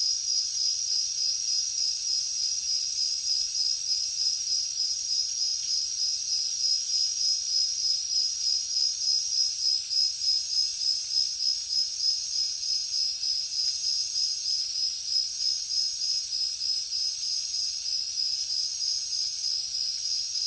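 A chorus of crickets fills the air with high-pitched, continuous chirping. The pulses repeat quickly and evenly, forming a steady, shimmering trill with a soft hiss beneath.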